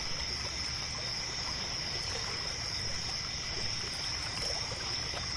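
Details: Crickets keep up a steady, high-pitched chirping chorus at night by a lake, near a pier, over the soft trickle of lapping water.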